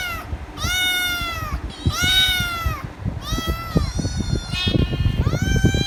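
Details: Kitten meowing loudly and insistently for head rubs, with four long harmonic-rich meows, each arching up and falling, spaced about one and a half seconds apart, over low thumping and rustling noise.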